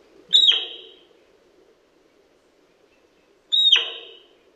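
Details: Autumn whistles of a male sika deer, Primorsky Krai, Russia, 2021: two shrill descending whistles about three seconds apart, each opening with a bright high tone and trailing off into a hoarse, fading rasp.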